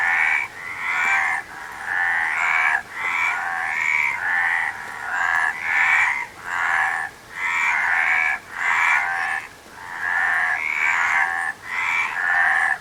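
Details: Frog chorus of coarse, pulsing croaks in bursts roughly every second, each ending in a short quiet gap, repeated steadily.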